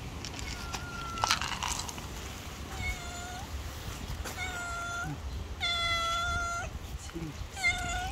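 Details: A stray street cat meows about five times: clear, drawn-out, bright, harmonic calls, some rising and falling, spaced a second or two apart, over low background rumble and faint voices.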